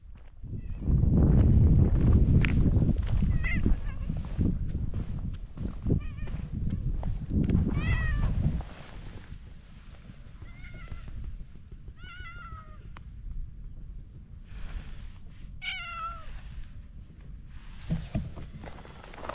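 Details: Orange tabby stray cat by a pond, meowing while being petted and enjoying it; about six short falling meows spread over the later half, after loud low rumbling handling noise in the first eight seconds.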